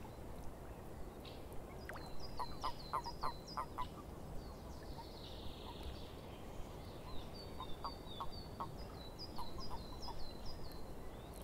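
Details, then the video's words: Swamp frogs give bursts of rapid, rattling croak pulses in two bouts, set against a soft steady background, with high, repeated chirping notes above them. "Frogs In The Swamp"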